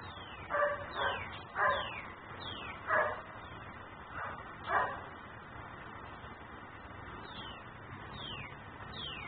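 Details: Dog left outside in Mecklenburg, described as a nuisance that keeps barking until taken indoors. A run of mid-pitched barks, several in close pairs, with faint descending high whistle-like sweeps recurring throughout and a steady background hum.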